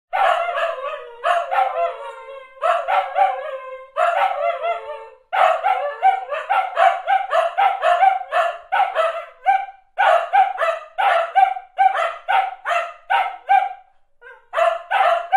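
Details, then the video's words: Dogs barking in a sound-effect recording: a long run of sharp, loud barks in quick bursts, some doubled, with brief quiet breaks and a few yelping, drawn-out barks early on. "Barking Dogs Sound"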